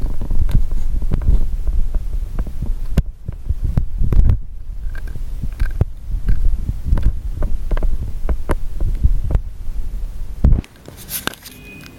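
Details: Low rumbling thumps and handling noise, with no clear animal voice.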